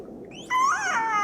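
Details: Killer whale feeding call, recorded from a group eating herring, played through an underwater speaker near GPS-tagged humpback whales. After half a second of quiet comes a sudden tonal call, rich in overtones, rising and then bending downward.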